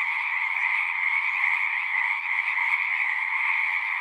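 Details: Singing frogs in a natural setting, countless overlapping calls merging into a constant shimmering trill, evenly loud from start to end, with no other animals or human noise standing out.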